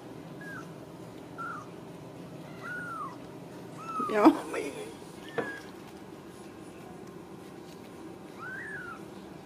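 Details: Ragdoll kittens raised indoors without cages at a home cattery in central Kansas, with the mother cat nearby; soft, high, thin mews come at intervals, and a woman talks gently to them in a small room.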